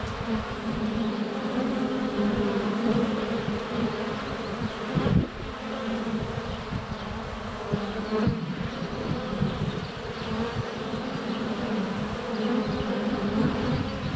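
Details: Bees at a honey bee hive entrance in February sun, captured by a wide-angle GoPro; steady, layered buzzing hum with two sharp knocks from bees touching down on the camera and soft birdsong behind.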